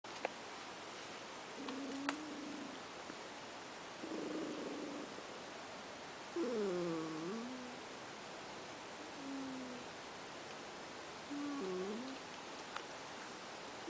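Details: Ash, a pet cat, snoring while asleep: soft nasal whistles near a steady pitch, some bending up and down, one with each breath roughly every two and a half seconds, over a quiet indoor hiss.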